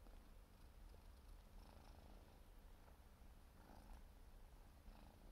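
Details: Siberian forest cat kitten, four months old, purring faintly and steadily in a low rumble while grooming, with light licking noises.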